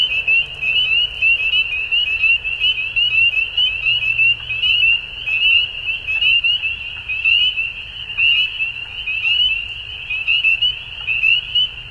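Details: Dusk frog chorus of many callers, a continuous shrill trill with rapid pulsing chirps repeated roughly once a second, faint higher clicks scattered above, and a low, quiet hum in the background.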